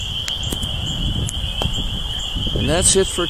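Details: Spring peepers in early spring at a swamp in East Dennis, Cape Cod: an unbroken shrill chorus of high peeps fills the air, with a few clicks and a human voice speaking briefly near the end.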